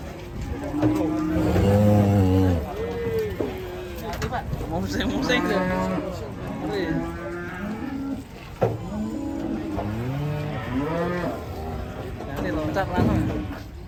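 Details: Angry cattle in Indonesia, several overlapping moos and bellows with wavering, bending harmonics, some louder and some distant, plus murmuring voices and background noise.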